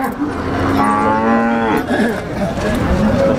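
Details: Among the biggest cattle on sale in Ponorogo before Eid al-Adha, 5 August 2018, one animal gives a low moo that swells for about a second and fades. Market chatter and passing vehicles are heard around it.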